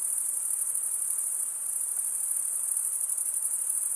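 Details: Crickets stridulating in a constant high, metallic trill with a faint pulsing flutter running through it; no other animals, voices or noise stand out.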